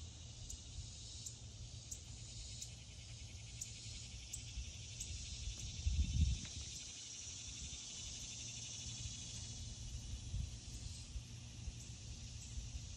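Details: A cicada heard from a deck on the 4th of July in summer gives a steady, high-pitched buzzing drone throughout, with a low wind rumble underneath.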